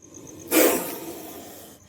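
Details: Indian spectacled cobra letting out one forceful hiss: a sudden broad burst of breathy noise lasting about a second and a quarter, strongest at the start and then slowly fading, with quiet background before and after.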